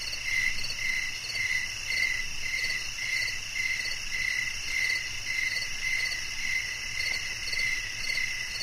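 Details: Cricket song for calm sleep, heard as crisp high chirps pulsing roughly twice a second in a steady rhythm over a continuous high insect chorus.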